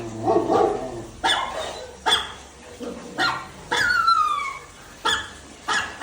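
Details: A pet Labrador Retriever named Dhoni gives loud single barks roughly once a second, separated by short quiet gaps; one call slides downward into a thin, whistled squeal.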